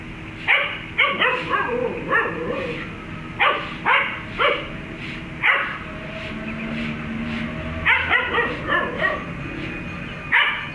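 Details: Dog named Hunter barking on meeting a cat: a fast run of short, sharp barks, some in quick pairs and clusters, with brief pauses between bursts.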